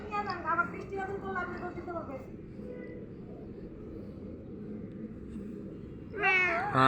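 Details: Sick pet cat meowing repeatedly in wavering, drawn-out cries during the first two seconds, then a louder meow near the end, with people talking and background music.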